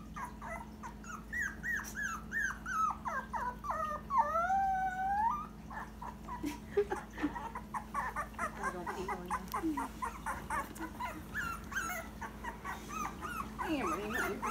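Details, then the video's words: Dachshund puppy Frank howls for the first time, giving bursts of descending whimpering yelps, then a wavering rising-and-falling howl around the middle, followed by rapid quieter yips, over a constant electrical hum and some indoor voices. "Frank the howling Dachshund puppy"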